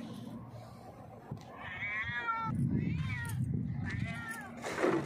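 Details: A hungry stray cat on a rock asks for food with three drawn-out, bending meows in quick succession over a rumbling low background.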